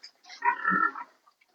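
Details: Sow not coming into heat, heard in one drawn-out, rasping grunt lasting under a second, swelling and then fading.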